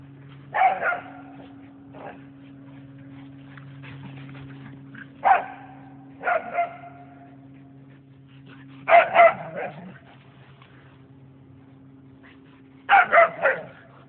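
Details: Two whippets, Nessie and Winston, playing tag and ripping up the yard; sharp barks arrive in scattered clusters, single yips and quick doubles and triples spaced a few seconds apart, with a steady background hum between them.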